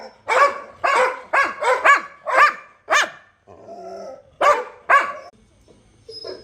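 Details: Domestic Labrador Retriever giving a rapid run of loud, ringing barks, seven in the first three seconds, a brief lull with soft murmuring, then two more barks and a quieter final yelp.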